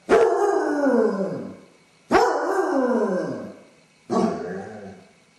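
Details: Basset Hound left home alone with separation anxiety, howling and whining; three drawn-out baying barks, each opening sharply and sliding downward over about a second and a half, spaced roughly two seconds apart.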